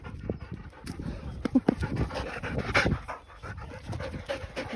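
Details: A working Labrador, just after leaping over a fence outdoors, pants in quick, breathy, noisy bursts throughout. A person speaks German nearby, saying words of praise.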